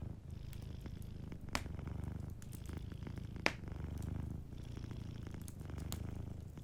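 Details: Sleeping cat purring softly indoors beside a fireplace: a low, steady rumbling purr that swells and eases with each breath, with sharp wood-fire crackles and pops standing out at intervals.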